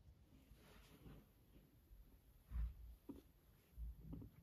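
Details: A fluffy pet guinea pig named Max purring next to its owner indoors: soft, low rumbling pulses, with two louder throaty bursts partway through and near the end, over a quiet room hum.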